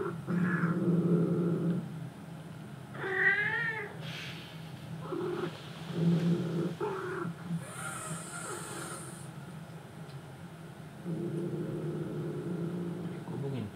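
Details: Male short-legged Munchkin cat GoBooGi, aged one year seven months, missing a former companion cat. It gives one wavering, drawn-out meow with rich harmonics near the clip's start, then short faint calls, under low murmuring human voices.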